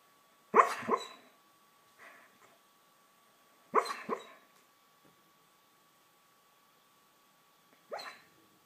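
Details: Dog dreaming in its sleep, giving three muffled yipping bursts a few seconds apart, the first two doubled with faint soft whimpers after them, the last weaker, in a quiet indoor setting.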